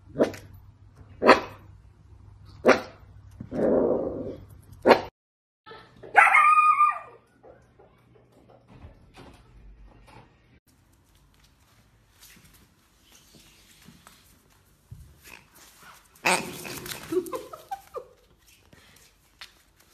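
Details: Dachshund puppy or sausage dog at home, giving a quick run of sharp barks, four or five in about five seconds, then quieter rustling and a later burst of noisy yelping sound.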